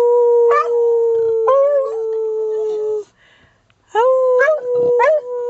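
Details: Male pet beagle baying on his owner's prompt before a walk: long steady howled tones broken by sharp rising yelping swoops, a one-second pause, then more wavering bays.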